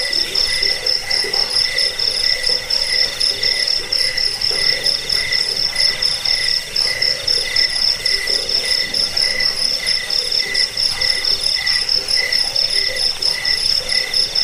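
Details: Crickets trilling continuously in a thick chorus, the high-pitched pulsing steady throughout, backed by a second lower chirping voice repeating about four times a second and quiet background hiss.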